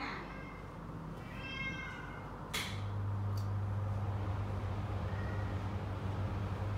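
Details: Domestic cat indoors during grooming, giving two short, bright, harmonic meows in the first two seconds, then a sharp click and a steady low electrical hum with faint background talk.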